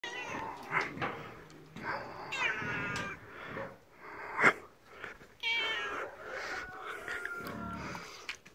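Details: Domestic male cat, described as tiger-striped, made angry while being played with, giving several drawn-out, strained meows with rich harmonics, some rising then falling, spaced irregularly across the recording, plus soft rustling and thumps in between.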